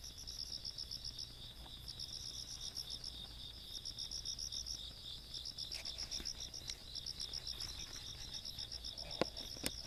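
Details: Countryside night insect chorus recorded 17 August 2022: continuous high pulsed trilling layered on a steady high ringing, with a few faint clicks near the end.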